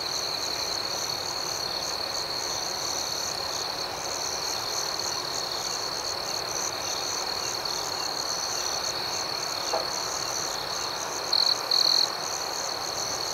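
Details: Steady night chorus of crickets, high and shrill with soft rhythmic pulsing throughout, and two short louder trills close together near the end.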